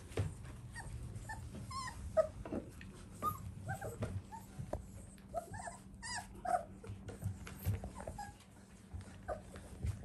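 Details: Golden Retriever puppies from a JKC champion father making soft high squeaking whimpers and short yelps, quiet and intermittent, over a constant low hum indoors.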